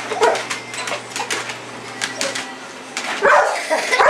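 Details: Sasha, a pet pit bull, chases a red light in the yard at night. Short, rough barks or yelps burst out near the end. Before them come scuffling, clicking noises and a steady low hum that stops halfway through.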